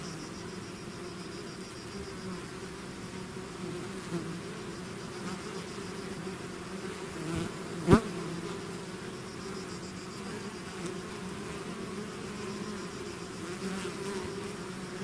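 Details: Steady hum of a swarming bee colony outside the hive, broken once by a single bee darting close with a sharp, brief buzz before the low drone settles again.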